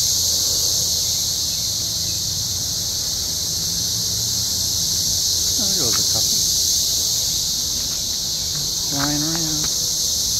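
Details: A dense cicada chorus makes a steady, high, hissing drone at an RV park with scattered trees outside Columbia, Missouri, quieter as the sun gets lower than at its daytime peak; a man's voice breaks in briefly.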